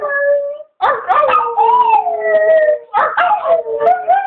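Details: Chihuahua dog howling while its owner encourages it, long wavering tonal howls with rich harmonics, sliding slightly up and down, in two bouts separated by a brief gap.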